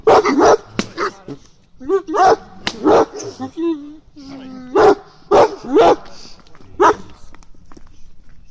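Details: Guarding shepherd dog in its first protection-training lesson, barking almost without pause: loud, rough barks in quick clusters, with brief whining tones between bursts.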